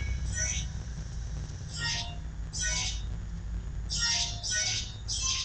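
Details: Indoor recording from 12 September 2012 of kittens, mother still around: six separate thin, high, hoarse cries in two loose clusters over five seconds against a steady low room hum.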